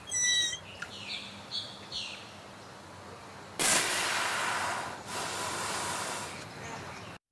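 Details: West Indian manatee underwater in a river of the Caribbean Sea: a short, high harmonic squeak opens, then a few softer rising chirps, followed by loud broadband rushing, splashing water noise.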